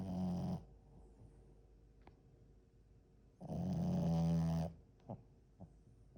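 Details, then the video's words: French Bulldog asleep, giving two loud, low, rattling snores about three seconds apart, with soft snorts and breathing between them. "#프렌치불독 #강아지코골이"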